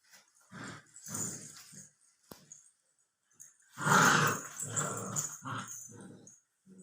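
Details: A 64-day-old Labrador Retriever puppy gives short, gravelly growls in a small room, a louder drawn-out snarl in the middle, then more choppy growl bursts.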